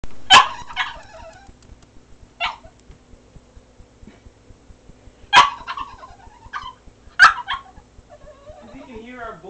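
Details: Cavalier King Charles Spaniel, sad in his crate because his owners were leaving; sharp, high yelping cries come every few seconds, with a soft whine at the end and a quiet room otherwise.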